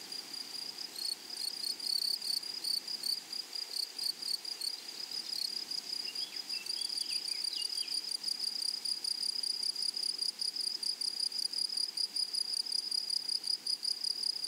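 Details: Flowery meadow grasshoppers keep up a bright, high, pulsing trill at a constant pitch. Brief soft bird chirps appear midway, and the insect sound grows slightly louder and denser toward the end.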